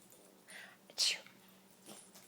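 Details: Daisy, a female Rat Terrier, performs a trained sneeze on command, a single abrupt, airy burst at the midpoint, framed by faint breathy sniffs before and after in a quiet room.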